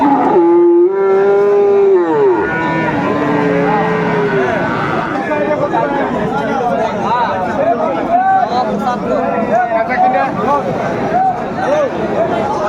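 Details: Friesian and crossbred bull calves at Aftabganj cattle market, Dinajpur, on 17 April 2024: one long, steady low moo falling away at the end, followed by a dense crowd of men haggling over prices.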